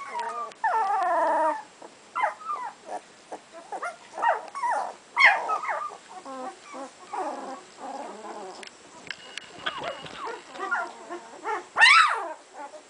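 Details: Whimpering from two-week-old puppies of Sami and Drake: scattered bending whines and short squeaks with pauses between, one long high squeal near the close, quieter than a full chorus.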